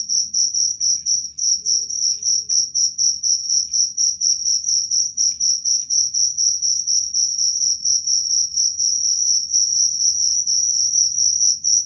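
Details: Cricket giving a shrill, high-pitched chirping trill, pulsed about four times a second in a steady, unbroken run, with a faint low rumble underneath.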